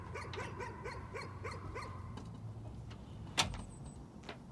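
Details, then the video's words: A dog's nuisance barking: a rapid string of short, bright barks fills the first two seconds, then stops, followed by a sharp knock or bang and faint background rumble. "Nuisance barking again."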